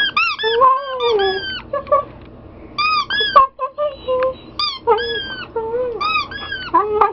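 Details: Siberian Husky whining while his squeaky toy is repeatedly squeezed; short, shrill toy squeaks mix with the dog's lower, curving, moaning whines, which rise and fall in uneven bursts.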